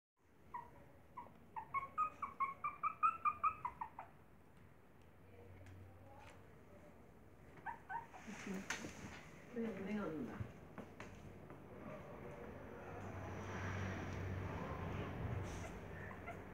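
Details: Maltese puppies with their mother, whining in a quick run of rising and falling high cries for about three seconds, followed by human speech and rustling background noise.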